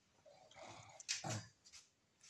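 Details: Pug named Nick, hiding and unwilling to be filmed, gives a short grumbling growl that lasts under a second, then a sharp snorting burst and a quieter snuffle.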